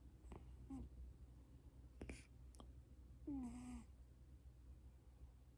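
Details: A domestic cat asleep, snoring indoors: a low steady rumble throughout, with a few brief, nasal, downward-sliding tones near the start and one longer wheezy whine a little past the middle.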